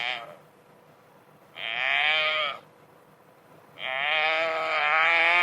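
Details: Wildebeest caught by a crocodile, gasping for breath during migration in Africa: two drawn-out, wavering, harmonic bleating moans of about one second each, separated by quiet gaps.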